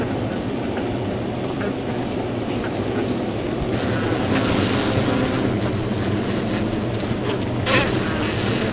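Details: Honey bees in their winter cluster inside the hive: a dense, steady low hum with a broad rustling hiss on top and one sharp click near the end.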